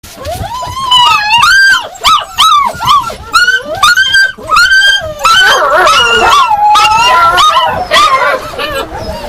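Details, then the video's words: Yakutian Laika giving a rapid run of high, tonal yelping barks, each note arching up then falling, with whiny drawn-out notes between; the calls become denser and overlapping in the second half. "Якутская лайка . Yakutian Laika ."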